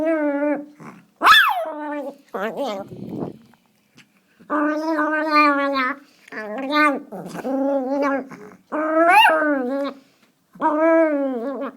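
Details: Teacup Chihuahua growling out the window, making gremlin-like noises: a run of drawn-out, tonal, whining grumbles in bursts of one to two seconds with short pauses, plus one sharp high yip near the start.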